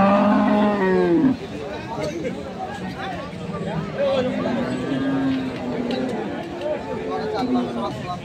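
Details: Dairy cows with calves at Ambari market in Parbatipur, Dinajpur, Bangladesh, January 17, 2025: a loud, deep, slightly falling moo for over a second opens, then fainter drawn-out lowing amid constant crowd chatter.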